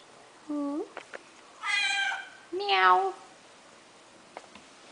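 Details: Deaf pet cat indoors demanding attention, giving a short low nasal call, then two loud harmonic meows about a second apart, the second rising and falling; soft clicks and a woman speaking quietly nearby.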